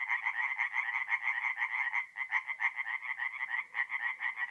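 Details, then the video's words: Tree frogs singing at night at a forest pond in mid-April in north-east Italy; dense, rapid pulsed croaks with bright upper tones overlap continuously, a chorus of many callers with brief dips in intensity around two seconds. "relaxing forest pond by night with singing tree frogs"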